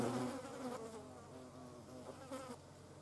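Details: Short burst of hornet flight buzz while it hunts carrion flies: a close, rich droning hum with layered harmonics, wavering in pitch as it passes, with a brief louder swell near the end.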